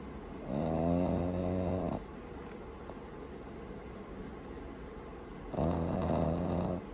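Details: Boston Terrier puppy named Maru sleeping soundly at home, snoring loudly: two long rasping snores, each about one and a half seconds, with a rattling harmonic buzz, separated by quiet breathing pauses.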